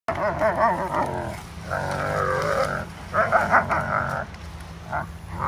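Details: Two German Shepherd Dogs play tug of war with fallen dried palm fronds on an empty lot beside Tampa Bay, Florida, at sunset. Wavering, harmonic growling comes in bursts, with a steady low hum underneath.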